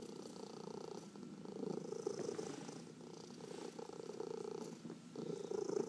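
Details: Domestic cat purring while massaged, a continuous pulsing rumble that rises and falls with each breath, strongest around two seconds and again near the end, in a hushed indoor room.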